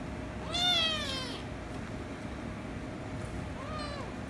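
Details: Kittens meowing as a ginger kitten angers a rescue kitten, who later kisses and licks it: one loud, wavering, arched meow, then a shorter, softer meow after a pause of about two seconds, over a steady background hiss.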